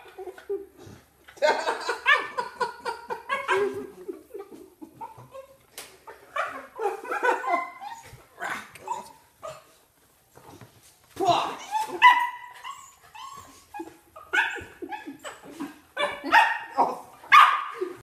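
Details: Pet Corgis at a relative's home, over-excited when a visitor arrives, giving rapid bursts of harsh, high yapping barks, some rising and squealy, with gaps between flurries and people laughing in a small room.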